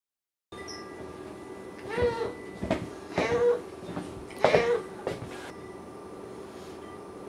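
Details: A male Siamese cat talking at length one afternoon gives a run of drawn-out, wavering meows with rich overtones, several within a few seconds, separated by brief pauses over a faint steady hum.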